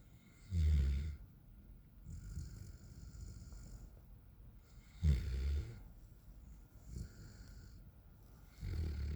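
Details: Raiden, a 9-month-old Alaskan Malamute, sleeping on the back patio: deep, rumbling snores, one loud snore near the start and another about four seconds later, with softer breathing rumbles in between and a faint steady hiss behind.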